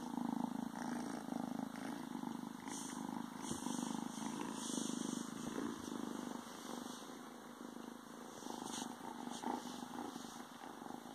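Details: Soft, continuous, low pulsing purr with occasional cloth rustles from a young male Ragdoll kitten hiding inside pants, filmed a few days after arriving home.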